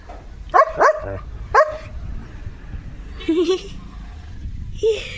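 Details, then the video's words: German Shepherd named Leo barking at cattle: two quick sharp barks, then a third a moment later, all within the first two seconds, followed by people talking and a brief higher voice. "Leo The German Shepherd भुंकतोय गुरांवर"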